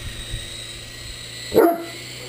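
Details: Great Dane playing with an RC helicopter, giving a single deep, loud bark over the steady whine of the hovering toy.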